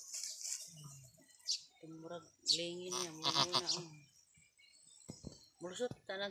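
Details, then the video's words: Anime, a long-horned female goat on a small backyard farm, calls out in pain during her first and difficult birth. A wavering, tonal bleat holds for about a second and a half in the middle, between short voiced sounds and nearby talk. "She ROLLED OVER In PAIN! | ARDUOUS Goat BIRTH!"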